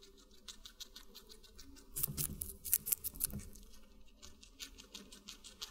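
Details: Guinea pig eating watermelon, close-miked indoors: a steady stream of quick, fine ticking chews, swelling into a cluster of louder wet crunches about midway before settling back to soft nibbling.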